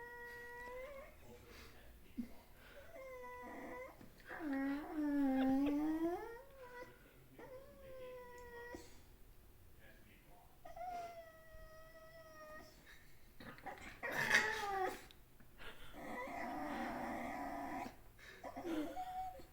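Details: Puppy giving a run of high, thin whines and yelps, some drawn out and wavering, others short and bending upward, with brief pauses between, in a quiet indoor room with faint rustling.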